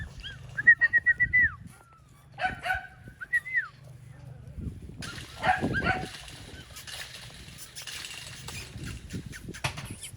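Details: AKC registered Golden Retriever puppies from a second litter in Ohio, giving a quick run of short, high, thin whines, then a few more after a pause, with rustling and handling noises around them.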